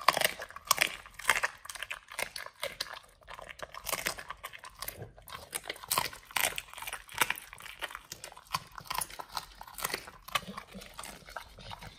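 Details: Raw-fed Pit Bulls chomping beef chunks, quail eggs and duck wings, a steady run of sharp crunches and bone-cracking bites packed closely together throughout, in a small room.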